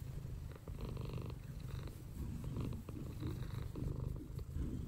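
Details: Low continuous rumbling purr from Mouse, a house cat lying in her favourite sunny spot, dense and even throughout with faint breathy pulses.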